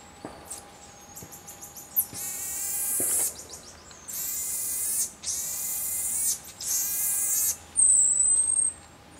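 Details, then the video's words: Common marmoset uttering quick high chirps, then a series of long raspy, buzzing bursts separated by short pauses, ending with a clean high-pitched whistled note. "marmoset vocalizations"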